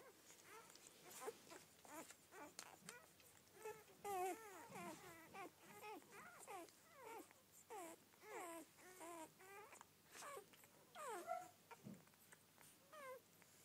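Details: A first litter of twelve Rhodesian Ridgeback puppies crying together indoors: dense, overlapping high squeals and arched whines, some louder bursts, continuing without pause over a low hum.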